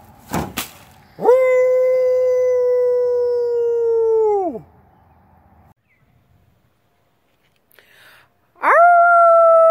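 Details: Wolf howling at a wolf center, where separated packs howl to keep in touch: one long steady howl rising quickly, holding level for about three seconds, then sliding down, followed by silence and the start of a second howl.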